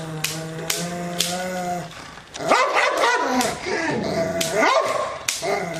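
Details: Angry Rottweiler barking toward the camera or an off-screen sound: a low steady hum with faint clicks first, then loud, harsh, rising barks repeated in a rough run.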